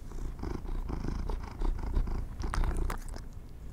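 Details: Pet cats being given treats, heard close up: a steady low rumbling purr runs throughout, with crisp clicking and crackling bursts near the end, like chewing or a treat bag being handled.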